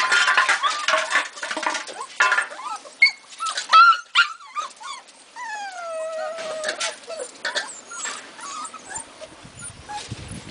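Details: Pitbull and Labrador puppies: a litter whining and squealing, with rising and falling whimpers and long drawn whines, several pups calling at once.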